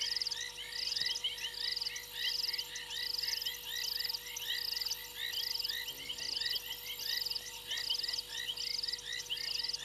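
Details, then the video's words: Frogs calling from a fallen tree limb at a waterhole on Djuma Game Reserve, Sabi Sand, South Africa, late January night: rapid rattling trills repeated about every second over a thick chorus of short chirping notes, constant low hum. "Frogs on fallen tree limb"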